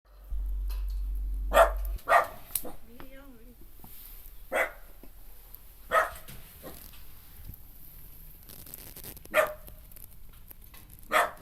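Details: Kai Ken dog in a home garden during an evening glamping session by a bonfire; single sharp barks spaced irregularly, about five across the stretch, with a brief human voice between them.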